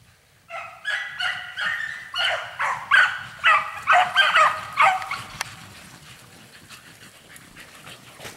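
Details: Dogs on a spring hare-coursing run in full chase, giving a rapid series of loud, ringing yelps about twice a second. The yelps fade out after about five seconds, leaving faint background rustle.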